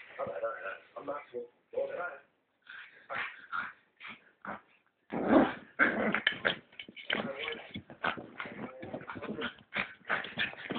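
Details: Four-month-old female pug puppy upset at being brushed, making frantic yips, whines and grumbling noises in rapid irregular bursts, mixed with people talking and laughing.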